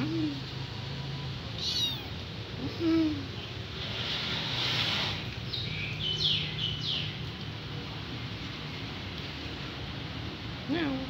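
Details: Hungry kitten crying for its mother: several high, thin meows with bending pitch, spaced irregularly over a steady background hiss and low rumble.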